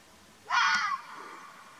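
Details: A wild Arabian (mountain) fox in Oman gives a single harsh, raspy call lasting about half a second, with a faint falling tone.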